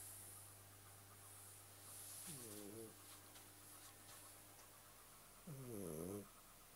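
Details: Domestic cat snoring: two slow, rasping breaths with a rising-then-falling harmonic texture, about three seconds apart, over a steady low hum and faint high hiss.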